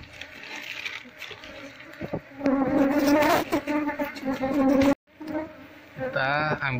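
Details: Swarming wild Apis cerana honey bees, disturbed while their colony is transferred from a window shutter to a hive box, give a loud, even, low hum that swells, breaks off abruptly, then returns with a nearby voice.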